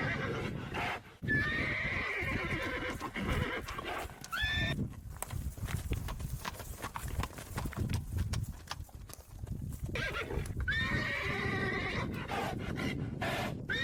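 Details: Herd of horses galloping, heavy continuous drumming of hooves dominating, with a few quavering whinnies rising above the thunder of the herd at the start, middle and end.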